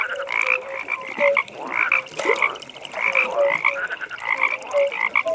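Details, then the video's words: Frog chorus at a pond in a calm nighttime setting: many overlapping croaks, short tonal notes around mid pitch layered with higher rattling calls, continuous and dense with no pauses. "15 Minutes Frog Pond"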